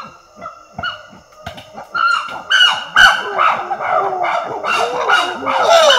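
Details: Female chimpanzees trading screams in Tai Forest, Ivory Coast, West Africa: a few short calls open, then a loud dense chorus of high arched, shrieking wails builds and stays intense to the end.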